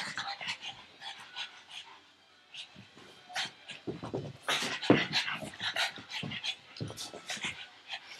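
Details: Pug dog chasing a tug toy held in a person's arm during play, giving rapid, rough, breathy puffs and snorts in irregular bursts, with soft whimpering and a person's voice now and then.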